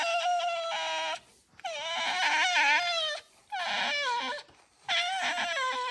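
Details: Pet red fox complaining while being brushed at home; four drawn-out, nasal, harmonic squealing whines with wavering pitch, each one to one and a half seconds long, with brief gaps between them.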